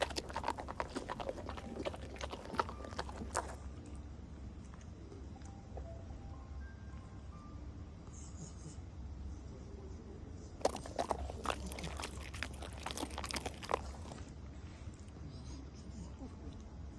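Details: Schnauzer dog eating durian: bursts of crisp, wet chewing and clicking for the first three and a half seconds, a quieter stretch, then another run of chewing from about ten to fourteen seconds.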